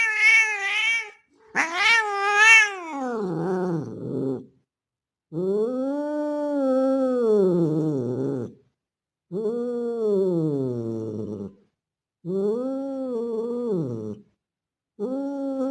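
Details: Mating call of a male street cat, looking like a Bengal, calling a female in heat. A series of long arched yowls about two to three seconds each with short pauses between them. The first cries are higher, wavering and strained.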